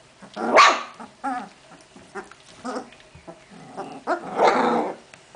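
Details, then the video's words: Genny's puppies, 14 June 2013, trading shrill barks and throaty growls in play, several loud yaps spaced about a second apart. "LES CHIOTS DE GENNY 2"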